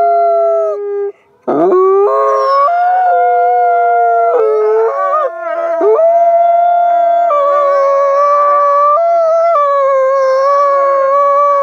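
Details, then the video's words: Captive ambassador gray wolves at a wolf conservation centre howl together, their long sliding notes overlapping and harmonizing at different pitches. "Wolves Howl and Harmonize"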